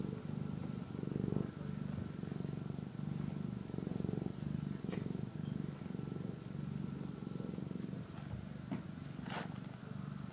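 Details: A kitten purrs while eating and sleeping. The purr is low, steady and rhythmic, with even pulses running through the whole stretch. A few faint clicks and brief sharp rustles occur near the end.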